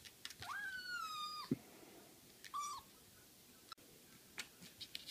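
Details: Tiny Siamese kitten, a foundling, playing with a cork ball indoors; a long high meow bending slightly downward, then a second shorter meow about a second later, with soft tapping and rustling of play around it.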